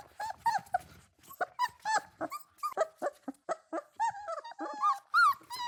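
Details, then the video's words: Several puppies chasing and playing on lush grass outdoors; a dense, almost continuous stream of short yips, squeaky whines and low growls, overlapping at a rapid irregular pace, ending on a rising-falling whimper. "Dog barking sounds"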